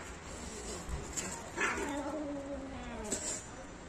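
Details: Cats fighting: low, drawn-out wavering wails, rising and sagging over a couple of seconds, with a short sharp cry near the end.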